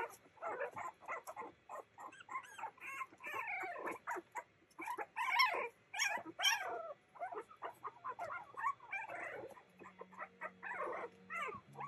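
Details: Playing Boston Terrier puppies yip, whine and bark in quick overlapping bursts, some calls rising and falling in pitch, with a low steady hum in the background late on.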